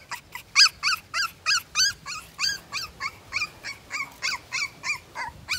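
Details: A two-week-old Siberian Husky puppy cries in a steady run of short, high whimpering squeals, about one per second, each with a rising-falling tone and bright harmonics, fairly loud and clear over a quiet background.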